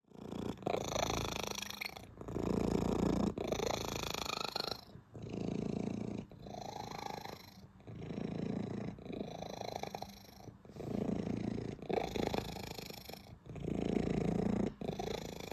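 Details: Domestic cat purring loudly and contentedly while being petted: a low, steady rumbling throb in long bursts lasting one to three seconds, separated by short breaths, continuing throughout.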